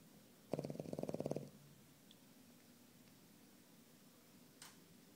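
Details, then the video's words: A dog named Nico snoring: one short rattling snore of about a second, built from rapid buzzy pulses in a quick train, followed by quiet room hiss and a faint click. "Nico roncando"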